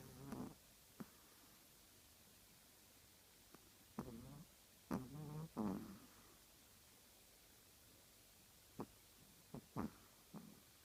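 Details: Snoring Chihuahua indoors, giving a run of rasping, low snorts and wheezy breaths at uneven intervals, some brief and clicky, others longer and throaty, with quiet gaps between.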